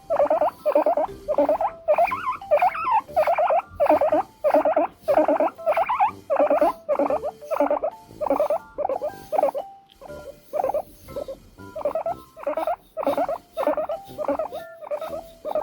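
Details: Seven-year-old pet guinea pig with hair loss from an ovarian tumour, asking for more brushing with a natural-bristle brush: long steady series of shrill, piercing wheeks, bursts repeated roughly every half second with brief pauses.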